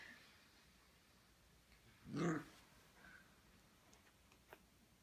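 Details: A 6-week-old female Siberian Husky puppy in Austin, Texas, picking a fight with her own reflection in a mirror, gives one short, rough bark amid near silence.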